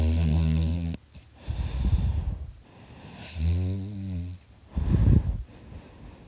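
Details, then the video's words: Dakota, a pet dog sound asleep, snores loudly in an uneven rhythm: low vibrating snores alternate with breathy, wheezy exhales, about three full cycles. "Dakota snoring his butt off!"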